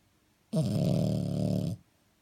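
A French Bulldog gives one long, low, rattling snore lasting just over a second.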